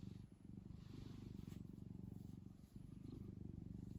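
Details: Kkumi the cat purring while kneading a soft blanket it loves: a low, steady rumbling purr with rapid regular pulses, briefly dipping near the start and again before the end, with no other clear sounds.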